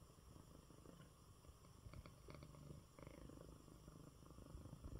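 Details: Male cat, recovering from illness, purring in his bed after a good meal: a continuous deep, pulsing rumble that stays steady throughout at low volume, with faint soft rustling and no other voices.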